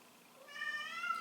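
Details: A pet domestic cat meowing behind a locked door at its owner, as it always does; a single rising, drawn-out harmonic meow lasting about a second, in a quiet room.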